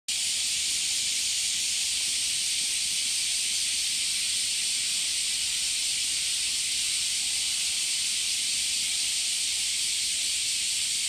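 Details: Cicadas calling at Hiraoka Shrine in Japan; a loud, unbroken, hissing drone that holds steady without pause throughout, with no other clear sounds.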